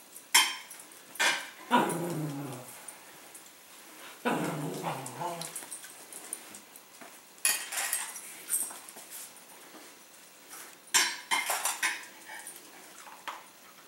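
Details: Bentley, a pet Cavalier King Charles Spaniel, whining at his bowl at dinner time indoors; two drawn-out, wavering whines slide downward, mixed with sharp clinks of kibble and bowl against the floor.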